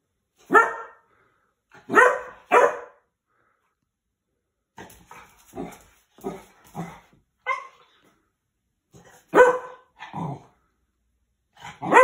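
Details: A 16-week-old Cocker Spaniel puppy, nervous of a handheld vacuum cleaner, gives high, sharp yaps, sometimes doubled, in uneven bursts broken by short pauses, with quieter barks and whines between the louder outbursts.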